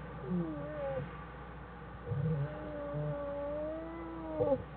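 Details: Black bear mother Jewel and cubs Fern and Herbie inside their den, January 1, 2013, Wildlife Research Institute study: soft wavering whimpering tones run throughout, broken by short low buzzy grunts.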